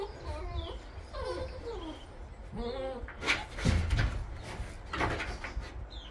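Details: New litter of Bernese Mountain Dog puppies, September 2023: several short, high harmonic whines and squeals rising and falling in pitch through the first three seconds, then thumps and rustling handling noise.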